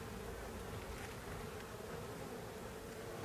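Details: Honey bees of a drone-laying colony, in which a worker has been laying eggs, humming at the hive: a steady, dense buzzing drone with a low hum near 450, continuous throughout, with no voices heard.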